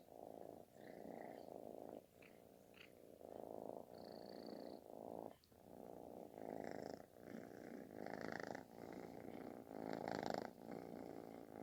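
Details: Affection-seeking kitten giving a loud snore-like purr: continuous pulsing rumble rising and falling with each breath, about every one to two seconds, with brief soft higher-pitched noises scattered through.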